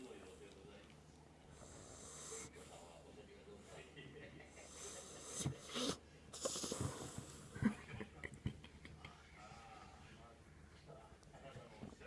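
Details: Kinako, a sleeping Jack Russell Terrier, snoring indoors: slow hissy inhalations followed by rougher snorting bursts, breaths a few seconds apart, in a quiet small room.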